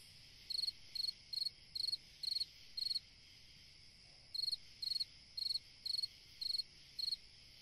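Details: High pulsed chirps from a cricket on a summer night, evenly repeated about twice a second, broken by a pause of about a second and a half before the series resumes, steady hum beneath.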